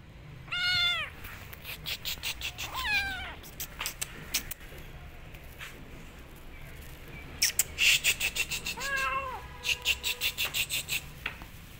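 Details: Rescued kitten after her rescue, giving high plaintive meows that rise then fall, two early calls and a later one, with sharp clicks and knocking sounds between them.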